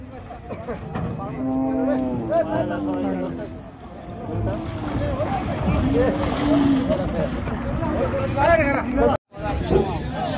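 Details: Cattle being unloaded from the river side at a busy village cattle market in Bangladesh; a few low, drawn-out moos with wavering harmonics rise above constant crowd chatter, shouting and engine noise.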